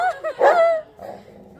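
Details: Labrador Retriever in a fight with another dog: two short high yips, then a longer strained whining yelp that falls away, followed by faint low sounds.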